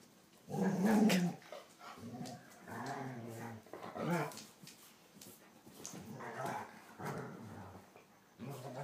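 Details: Two German Shorthaired Pointers at play, the younger male pestering his older sister; low rumbling growls come in repeated bursts of a second or so, with short sharp noises between them.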